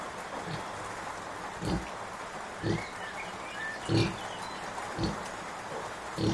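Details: Soft low grunts roughly once a second from Kunekune sow Bella, recovering from illness and nursing five-day-old piglets, with faint higher chirps and background hiss.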